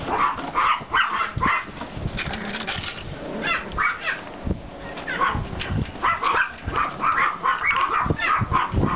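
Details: Several Pomeranian and klein spitz puppies from two litters playing in a snowy yard, 5 April 2014, yapping in quick high-pitched clusters separated by brief pauses, over a steady low outdoor hum.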